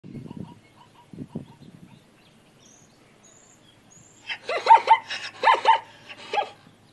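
A zebra gives a burst of loud, hoarse, yelping barks, a few low snorts and rumbles before them.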